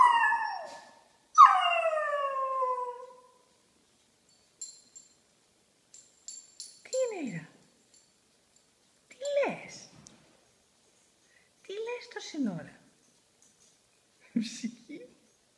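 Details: Pet dog singing with two falling howls at the start, followed by a stretch of shorter sounds mixed with a person talking.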